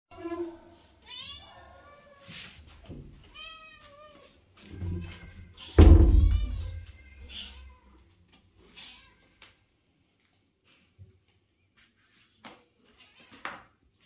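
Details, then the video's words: Mother cat talking with her kitten and owner indoors: a run of short rising-falling meows in the first seconds, then thumps, a loud bump and quieter scattered sounds, with some speech-like murmuring. "Общительная мама кошка мяукает и разговаривает с своим милым котёнком и хозяйкой"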